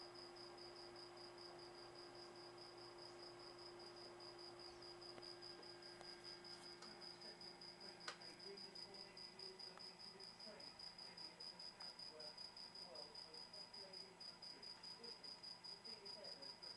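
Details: Cricket chirping: a steady, high, thin trill pulsing at an even quick rhythm, about two to three pulses a second, continuing without break; a faint low hum runs underneath.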